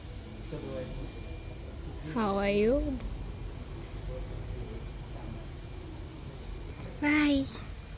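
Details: Mia, a Cambodian cat at Bayon Temple, gives two drawn-out, bending meows several seconds apart, each rich and nasal, over a low outdoor rumble with a woman speaking softly nearby.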